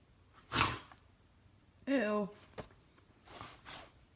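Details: A Norwegian Elkhound resisting sleep, wanting to play, gives a short, falling, moaning whine between snorty breathy huffs.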